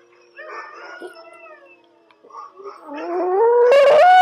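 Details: Pet Yorkshire Terrier named Cherub, being trained to howl on command with a shaping approach. After soft whimpery tones, a clear howl rises steadily in pitch and grows loud at the end.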